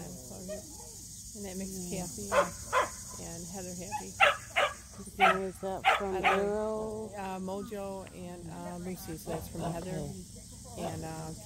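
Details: Samoyeds at a local match show entered for the first time: scattered sharp barks and yelps rise above a constant murmur of conversation and lower whining tones.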